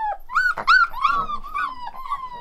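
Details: Pack of one-month-old Rottweiler puppies filmed close up, howling in turn: a drawn-out tonal howl dipping and levelling, then wavering rising-falling notes and a long slightly descending wail, with a brief noisy yelp in between.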